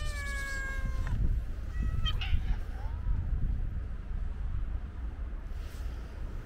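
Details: Calico cat with white paws gives a long, level, harmonic-rich meow held for about a second, then fainter brief calls; steady low traffic rumble underneath throughout.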